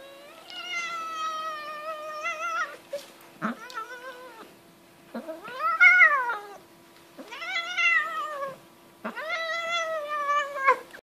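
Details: A nervous cat being played with gives long drawn-out wailing meows, about five of them, each lasting one to three seconds, with a wavering pitch and a faint steady hum behind.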